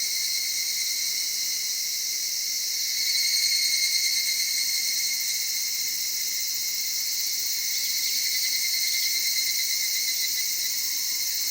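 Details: Chorus of evening cicadas among cedar forests, streams and highlands of Okutama, Tokyo, Japan, at dawn or dusk: continuous high, soft ringing drone of many insects, swelling slightly around the third second.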